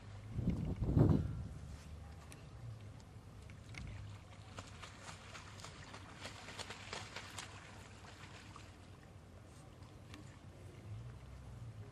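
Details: Low rumbling hum with a thump and soft splashing water; no animal calls stand out.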